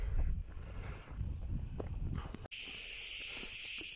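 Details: Cicadas near the entrance to Melidoni Cave in Crete, loud enough to barely hear oneself; a dense, hissing, steady buzz fills the second half after a cut, with footsteps and handling noise before it.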